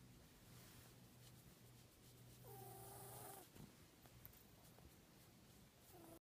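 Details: Odie, an elderly 14-year-old cat with a scarred left nostril, lets out one loud, trumpeting, whistled sniffle lasting about a second, then a short nasal snort at the end, with low steady breathing throughout.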